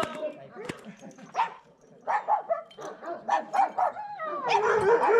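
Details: Bucovina Shepherd Dog recorded at Paltinu, Romania: a series of evenly spaced, punchy barks about every third of a second, ending in a longer drawn-out vocal sound, with people speaking nearby.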